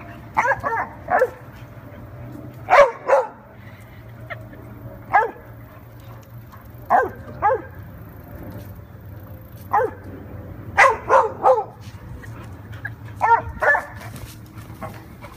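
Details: A dog named Eddie barking while playing with Red: short, sharp barks in pairs and small clusters at irregular intervals, about a dozen in all, over a steady low hum.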